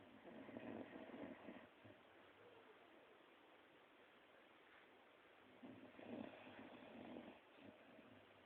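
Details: Scruffy, an old female Border Collie, snores as she sleeps, two soft rasping breaths, one at the start and another about five seconds later, separated by a quiet stretch.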